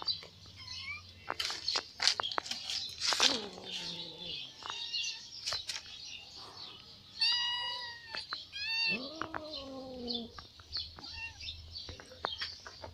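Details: A ginger cat that hunted a catfish from the fish pond. After some clattering and rustling, it gives a quick run of three or four meows, the last one lower and drawn out. A steady high hiss continues underneath.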